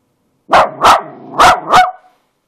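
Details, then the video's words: Daisy, a pet dog, gives four loud, sharp barks in quick succession, about one every third of a second, with the last slightly drawn out; otherwise quiet. "Daisy Barking"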